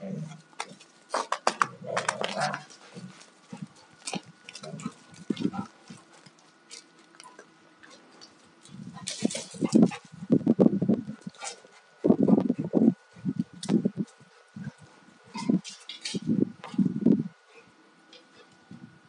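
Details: Two Alaskan Malamutes, a 2-year-old male and a 4.5-year-old female that is not in heat and fully shed, rough playing; low rumbling growls come in bursts, with a quiet pause mid-clip, plus scuffling and clicking noises.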